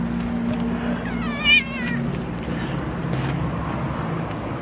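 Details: Kitten found on the street, giving a single wavering, high meow of about half a second over a steady low rumble of traffic-like background noise and hum.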